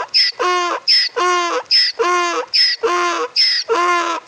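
A donkey gives a full bray, its voice flipping quickly between a squeaky, whistled intake and a loud, harsh, low honk. The hee-haw pairs repeat rapidly and steadily, with no other sounds nearby.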